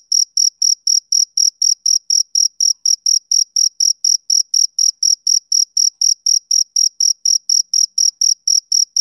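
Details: Male cricket chirping on a summer evening: short, high, ringing pulses repeated steadily about four times a second, with a faint upper overtone and no other sounds behind it.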